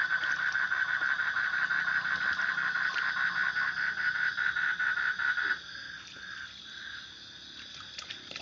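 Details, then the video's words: A frog gives a fast, steady train of rasping pulses near mid pitch for about five and a half seconds, then grows fainter and patchier. A thin high hiss runs through the background. "Suara Kodok / Frog Sound"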